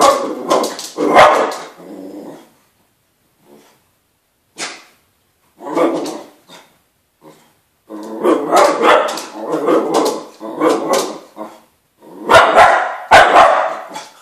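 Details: Excited wire-haired dachshund barking loudly at dogs seen on Crufts on television, bursts of sharp growly barks separated by short pauses, a person speaking in between.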